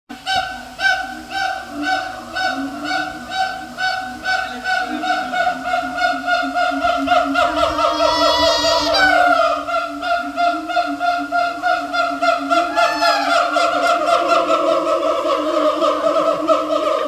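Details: Captive siamang at Taipei Zoo giving a loud, sustained series of harmonic hoots and barks in rapid pulses. Calls swell and quicken toward a rising, wavering climax near the middle, then settle back into steady rhythmic calling.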